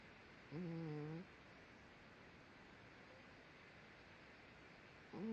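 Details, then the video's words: Sleeping pet dog Daisy snores loudly indoors: a low, humming breath sound with a slight wavering pitch lasting under a second, then a long quiet pause before the next snore begins, faint room hiss throughout. "snoring Daisy"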